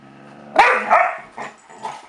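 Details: Zoey, an 8.5-month-old dog, barking to get Kasper to play with her indoors: one loud, sharp bark followed by a shorter second bark and two softer, muffled woofs trailing off.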